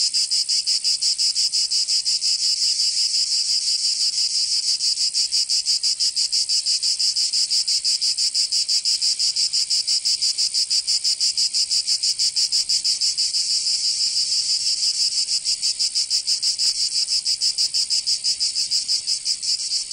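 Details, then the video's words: Summer cicada chorus from Provence in the south of France, an unbroken shrill buzz pulsing quickly and evenly, loud and constant for the whole stretch. "Canto Cigarra 🦗 [ Escuchar les cigarras en verano 10 H]"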